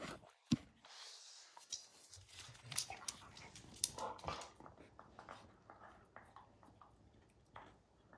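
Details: A dog named Max gnaws at a baseball, ripping its hide: scattered crisp clicks and crunches, with a sharp snap near the start, then steady irregular chewing over a soft background.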